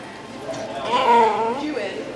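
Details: Jadar, a miniature pinscher with a South Florida small-dog rescue, 'talks' in a drawn-out, wavering whine-like moan with rich harmonics that swells and falls over about a second, followed by a person saying 'I love you'.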